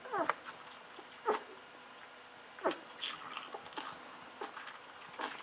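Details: Fourteen-day-old Golden Retriever puppies feeding hungrily from a milk bottle let out sharp falling squeals, several loud ones spaced about a second apart, between smacking and rustling sounds.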